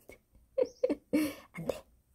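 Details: Pet kitten named Sarang-i, recently given her first bed, who now comes when called; four short, high mews in quick succession within two seconds, the third longest and steadiest, with a faint breath between calls.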